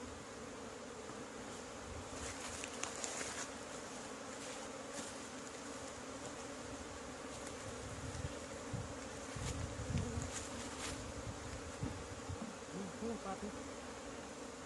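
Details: Asian honey bees swarm around an old hive during the first honey harvest of 2020 in Thailand. A steady low droning hum persists beneath scattered clicks, knocks and rustling from the harvest work.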